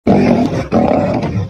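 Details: Two dark-maned wild male lions fighting for dominance at Kareiga, South Africa, on 6 October 2024: two harsh, rasping snarl-roar bursts, each lasting about half a second, with a brief gap between them.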